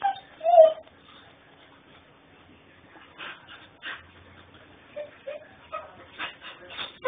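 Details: Whining puppy recorded by phone in Houston, Texas: one loud high whimper at the start, a quiet stretch, then several short rising whines and yips clustered near the end.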